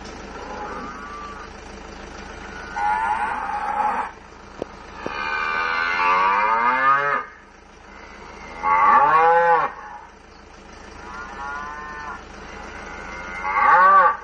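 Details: Cows mooing in response to mooing played to them from a speaker: several long, loud, drawn-out moos, some wavering and sliding, come in bursts every few seconds with quieter low rumbling between them.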